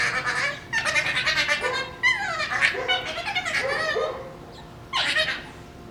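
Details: Two Shiba Inu puppies at play over a bone, giving strange fox-like screams: long, wavering, high-pitched harmonic wails that bend up and down, repeated in several drawn-out bursts with short pauses.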